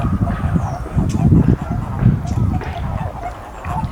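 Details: Eastern Japanese common toad, described as endangered, at the Magatama pond of Hakodate Hachimangu shrine on 2 May 2017; low, rough, grumbling pulses come in bursts around the first and second seconds, then fade, with a faint higher hum behind.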